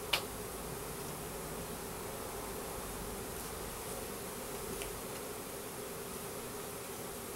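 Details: Some 10,000 Russian/Carniolan hybrid honey bees with a single queen, delivered as a three-pound package and put into a new hive in April 2012, give a steady mid-pitched hum after a sharp click at the very start.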